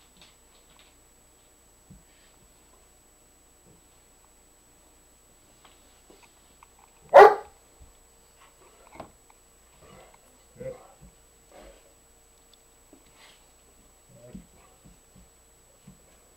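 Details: Nikki the dog trying to get a reluctant companion dog, Nubbs, to play: one sharp, loud bark midway, surrounded by long quiet stretches with faint knocks and small shuffling sounds.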